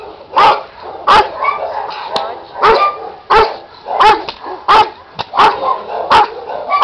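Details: An 8-month-old male Giant Schnauzer puppy barks in a steady series of sharp, full-voiced woofs.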